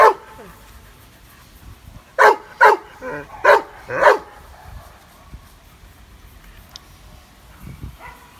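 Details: Fearful shelter dog in Biberach, said to be a Landseer, barks at a stranger he does not know: five loud, abrupt barks packed into two seconds, then quiet with faint background noise.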